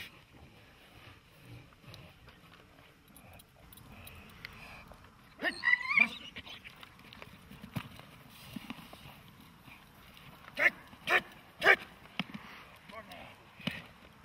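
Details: Dog in protection training barks in a short sharp burst about five seconds in. A second cluster of three loud, harsh barks follows near eleven seconds. The background between them is fairly quiet, with faint thuds and rustling.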